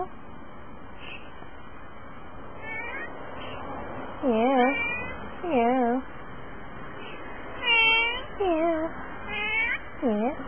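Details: Family pet cat Pongo meows repeatedly, about seven short rising-falling meows spaced one to two seconds apart, some with a quick upward flick, over low room noise.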